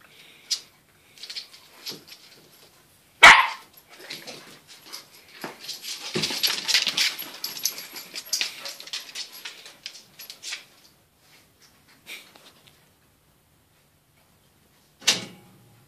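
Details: Two dogs, Kaida and Nuutti, during play training: a single sharp, loud bark early on, then a long stretch of rustling, scuffling movement and soft breathy noises, with another short bark near the end.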